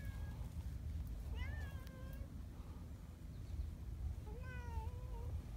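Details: Large black boss community cat Donchan, affectionately drawing in a petting hand, gives a falling meow followed by a longer wavering one, with steady low background rumble.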